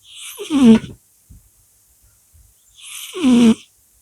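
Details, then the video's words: Sleeping cat snoring: two drawn-out, buzzy, voiced breaths about two and a half seconds apart, each sliding slightly downward in pitch, with near silence between them. "Cat's snoring."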